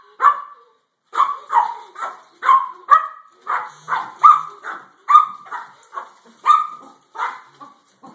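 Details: Pair of house dogs agitated by a cat in the front yard, barking in quick bursts of sharp, mid-pitched barks with short gaps between groups.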